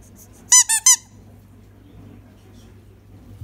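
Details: A pet Miniature Schnauzer indoors demands a ball throw: a quick burst of three sharp, high-pitched squealing yelps in under half a second, then quiet room tone.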